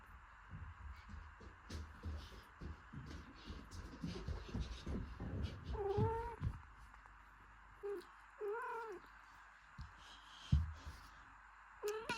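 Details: A mother cat tends her newborn kitten, cleaning and warming it. Low rumbling and shuffling fill the first half. Then come several thin, rising-falling mews, some doubled, scattered through the rest with quiet gaps between.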